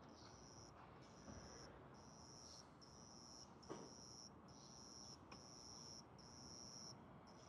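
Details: A young cricket, caught and kept indoors, spreads its wings and repeats bright, high chirps in steady half-second bursts over a soft hiss; said to sing during territorial disputes; cricket.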